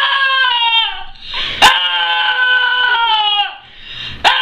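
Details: Puppy making funny noises: long, high, tonal whines held for over a second, slightly wavering and falling at the ends, with short sharp clicks or bumps between them.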